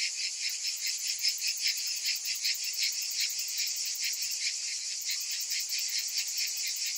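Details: A chorus of cicadas on a hot summer afternoon makes a continuous, hissing drone with a fast, throbbing pulse, a faint high ticking riding above the buzz throughout.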